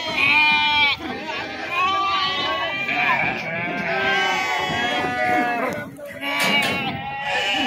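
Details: At the Pebbair sheep and goats market, unloaded sheep keep up an almost continuous chorus of shaky, vibrato bleats, one voice over another, while people talk in the background.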